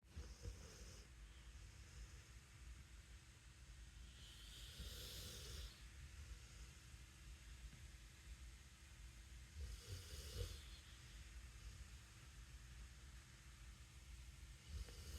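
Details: A female Rottweiler snores, perhaps pretending, in slow, hissing breaths about every five seconds over a low background rumble.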